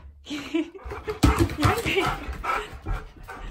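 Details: Siberian Husky Key demanding his lunch at home: after being asked if he wants lunch he answers with warbling whines and yodel-like talking sounds, several in quick succession, with thumps and a person speaking.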